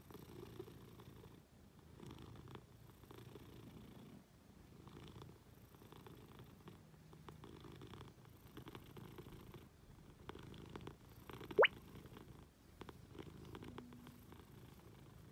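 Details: Affectionate Munchkin cat on its owner in bed, giving a soft low purr in breathy rhythmic cycles with brief pauses, plus a short sharp click and light bedding rustles.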